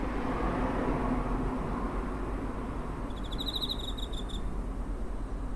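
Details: A single high, rapidly pulsed cricket trill lasting just over a second, recorded near home on 7 September 2023 using a TASCAM DR-05, against a continuous low hum of distant traffic.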